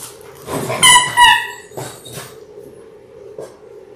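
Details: Labrador Retriever puppies, six littermates in their sixth week, born January 18, 2022, on a live indoor puppy cam: a high, strained whining yelp in two quick rising pulses, followed by soft shuffling and bedding noise.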